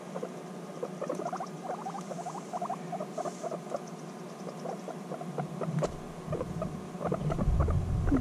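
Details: Guinea pigs reunited after six months apart, bonding intensely: rapid runs of short clipped chirping chutters, irregular and overlapping, with low rumbling movement and a woman's voice soothing them nearby.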